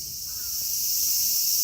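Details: Cicadas from Kitatama District, Tokyo, Japan, with Platypleura kaempferi, Graptopsaltria nigrofuscata and Hyalessa maculaticollis present: a brief burst of loud, high, sizzling buzz holding steady, with a faint short downward note early on.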